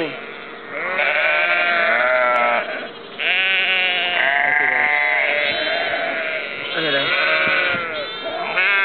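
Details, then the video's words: Flock of sheep and lambs, Ullapool, April 2009: a near-continuous chorus of harsh, trembling bleats, high lamb-like cries mixed with lower adult baas, barely any silence between calls. "Sheep Baaa"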